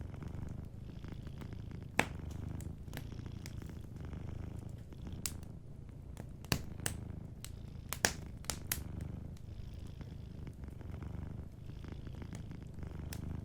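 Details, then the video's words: Sleeping cat purring softly by a warm fireplace; a steady low rumbling purr runs throughout, punctuated by sharp, scattered crackles and pops of burning wood. "Warm Fireplace Ambience with a Sleeping Cat 🐱💤Fireplace & Soft Purring"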